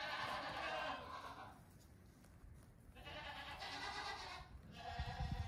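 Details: Two-week-old goat kids playing during a short morning outing from their stalls; a loud harmonic bleat opens, a second follows after a pause, and a third starts near the end, over low shuffling sounds.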